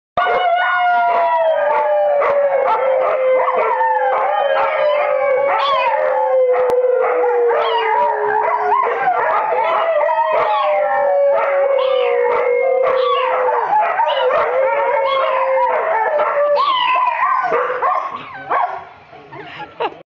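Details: A pet dog howls at home in a long, sustained tone that slowly sinks and wavers in pitch. Other yelping, howling voices overlap it throughout in a chaotic household, and the sound fades near the end.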